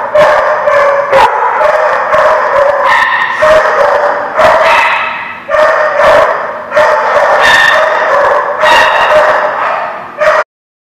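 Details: Dogs barking together at the Barking Lot on 30 September 2016, a steady chorus of overlapping barks with sharp repeated onsets every second or so, the racket cutting off abruptly near the end.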